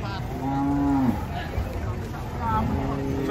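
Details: Cattle coming down from a truck, agitated after being caught. One short, steady low moo lasts about half a second, then cuts off. A fainter call follows amid background chatter and engine noise.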